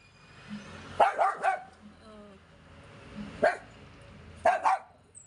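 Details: Yorkshire Terrier barking while trying to get its washed toy: short sharp barks in clusters around one, three and a half, and four and a half seconds, with a faint whine and brief music.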